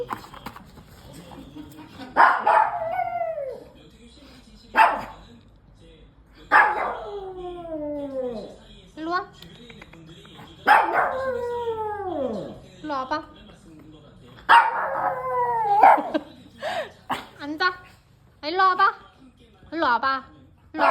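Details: Excited pet puppy before a walk lets out a series of yelping barks that slide downward in pitch, several seconds apart, mixed with a person's spoken commands and quieter chatter in the background.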